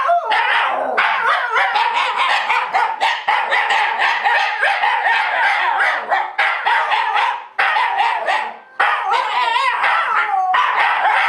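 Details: Several Shiba Inu dogs at home "singing" along with music, really just noisy: dense, continuous overlapping yelping howl-barks with wavering tones, broken by two brief pauses.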